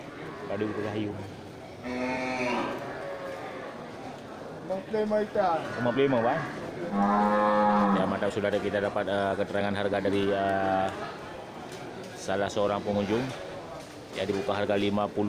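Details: Large local cattle gathered at the Geurugok livestock market on 29 March 2022, in the last week before Ramadan, give long, low, drawn-out moos with rich stacked harmonics. Several overlapping calls, some rising then falling, come in bursts through the clip.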